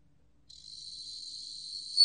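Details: Bell cricket singing a continuous, thin, high-pitched ringing tone that starts after half a second of quiet and slowly grows in loudness, peaking sharply just before the end.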